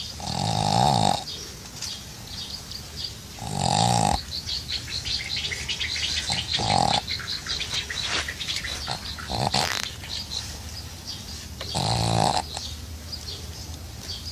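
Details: Pug asleep at a dacha, snoring in loud raspy bursts with a nasal buzzing tone, each lasting about a second and coming roughly every three to four seconds, with quieter breathing and faint rustling between them.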